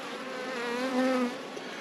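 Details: Loud, close honey bee buzz from an open hive as a frame is set aside during an apiary inspection. Dense, even humming with strong low pitched tones that rise briefly in intensity near the middle, then settle.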